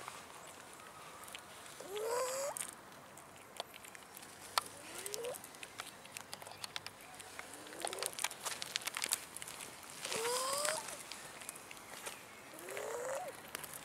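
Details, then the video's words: Abandoned cats roaming a city park and begging for food give four rising, upward-sliding meows spaced a few seconds apart, amid clicks and outdoor rustling. "ABANDONED CATS IN OUR CITY PARK BEGGING FOR FOOD"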